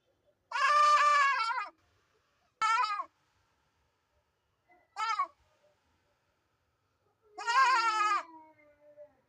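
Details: Goat making an abnormal sound: a long harsh bleat, then two short strangled cries, and a final wavering bleat trailing into a low tone, separated by silence.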